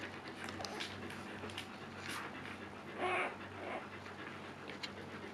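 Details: Siberian Husky Luna in labor during her second birth, described as calm this time; steady rhythmic panting throughout, broken by one short, clear tonal whimper with stacked harmonics partway through.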